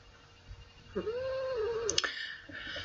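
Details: Seven-year-old female cat Baby Girl, held indoors between her owner's songs, gives a single arching meow of about one second, followed by sharp clicking sounds and a soft room background.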